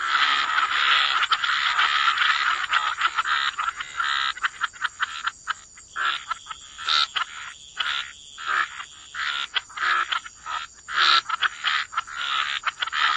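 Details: Chorus of croaking frogs at the waterside: a dense rattling wash that breaks into separate croak bursts about every half second, over a constant high-pitched hiss.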